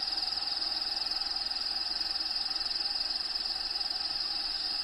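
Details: Crickets inside a bearded dragon vivarium housing Diego, with natural habitat sounds playing in the background: a steady high shrill trill, rapidly pulsed at about four pulses a second, continuous throughout over a soft broadband hum.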